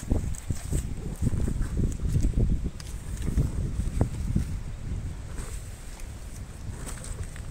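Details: Meri the elephant munching sugarcane, a steady dense run of low, thudding chews and grinding crunches with a few brief higher clicks and no voices.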